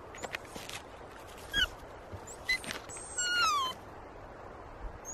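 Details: Melker, a puppy almost 11 weeks old, struggles to get his toy past a log. He gives short, high whines that slide downward, with the longest one near the end. Faint rustling and outdoor noise are heard between them.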